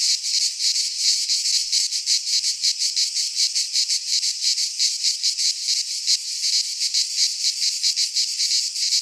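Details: In a Greek pine forest at midsummer, cicadas keep up a shrill, grating chorus, its intensity wavering in rapid, somewhat irregular pulses, with no other sounds standing out.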